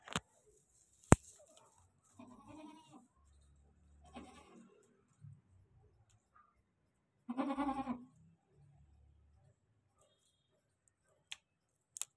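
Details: Goat on a goat farm giving one loud, wavering, harmonic bleat lasting under a second, preceded by softer low grunting calls and followed by quiet, with a few sharp clicks scattered through.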